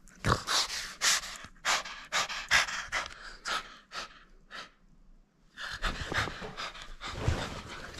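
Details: French Bulldog at play, refusing to give up its toy: quick breathy snorts and pants come in rapid bursts, go quiet for a moment, then resume in a fresh rush of huffing breaths.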